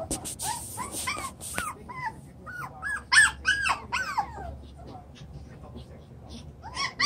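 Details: Toy Poodle puppies of chocolate brown colour, seven weeks old, romping in their enlarged pen; short arched yelps and whiny squeals tumble out in quick clusters, loudest in the middle, then fade to faint scuffling before one last squeal.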